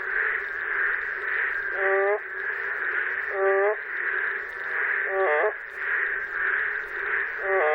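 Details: Boreal digging frog calling in Korea with a funny, out-of-tune, cracking voice: four wavering, harmonic croaks spaced about two seconds apart over a steady buzzing chorus.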